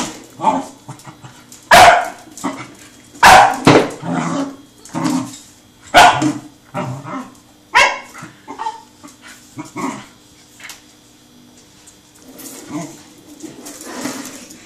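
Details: Truffle, a super friendly 7-month-old Pembroke Welsh Corgi, plays while chasing a rolling tin can; sharp barks and yips come in irregular bursts, mixed with clattering, scuffling play noises across the clip.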